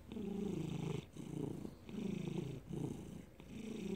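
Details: Low rumbling purr from Felix, a pet cat, May 2019; strong pulsing bursts of about a second each separated by short quieter breaths, close and clear.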